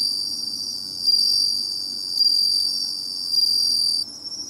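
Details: Bell cricket song recorded on a seaside search: bright, high ringing trills swell in clear pulses about once every second over a continuous shimmering insect chorus, ending abruptly near four seconds.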